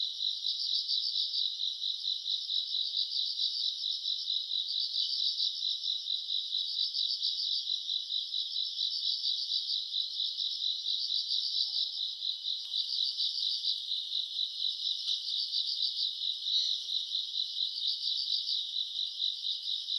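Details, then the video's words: An August summer night full of grass insects: a high, constant chirring band of overlapping trills, rhythmic pulsed phrases rising and fading roughly every couple of seconds, with a few faint soft low sounds underneath. "풀벌레 소리 가득한 밤"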